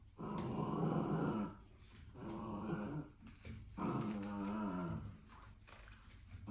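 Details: A corgi puppy, caught biting a bicycle pedal and seemingly not liking cycling, gives rough, low growls in three drawn-out bursts.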